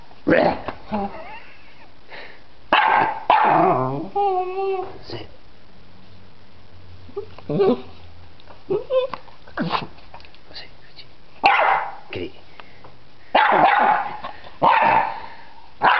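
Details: Freddy the dog barks at a butterfly in a yard, a run of sharp and drawn-out barks with a wavering whine-like bark midway, while a person speaks in between and a low hum runs under the middle.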